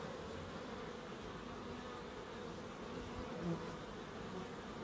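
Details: Gentle humming of bees in a small Crookes wildlife garden, steady and low, rising briefly near the end as a bee passes nearer.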